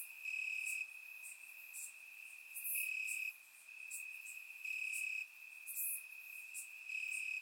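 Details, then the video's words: Night chorus of crickets in Bulgarian grass on a warm summer evening: one unbroken shrill trill, overlaid by swelling buzzy phrases lasting about half a second each and scattered very high chirps. "Cricket Sounds - Crickets Chirping at Night"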